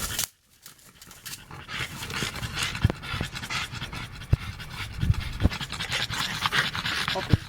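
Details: Four-year-old female French Bulldog, tired after a walk and fixated on an electric insect racket: steady fast panting with low thumps and clicks, noisy indoor background.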